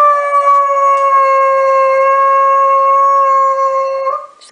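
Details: Dobermann holding one long, even howl at nearly constant pitch for about four seconds, then a brief break at the end.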